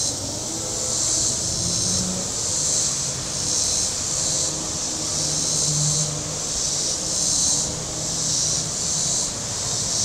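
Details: Cicadas calling from the shore of Table Rock Lake in southern Missouri on a very warm Saturday: a dense, high, hissing buzz that swells and fades in waves about every one and a half seconds, over a low, steady rumble of boat engines.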